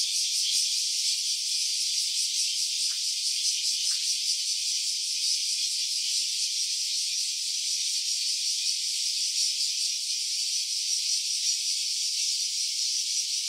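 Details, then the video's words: Stereo smartphone recording of a cicada: an unbroken, high, sizzling drone with a faintly pulsing, rattling texture, level and constant throughout, with two tiny clicks near the start. "Cicada's voice."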